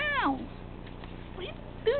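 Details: Four-month-old tabby kitten in the Caribbean, biting a person's foot: a short downward-sliding meow at the start, then two brief rising squeaky meows, with low mechanical hum beneath.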